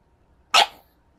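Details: A recently adopted pug in a temper tantrum gives a single sharp, huffing bark-snort lasting a fraction of a second, with a quiet room before and after.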